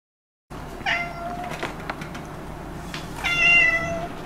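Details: Stray cat that comes to eat leftovers, giving two drawn-out, harmonic-rich meows about two and a half seconds apart, the second louder and slightly wavering, over a steady low background hum.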